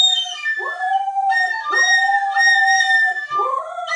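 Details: A female Siberian Husky sings along with instruments being played, such as the harmonica and Irish flute, howling in long, swooping tones that rise sharply, then hold steady.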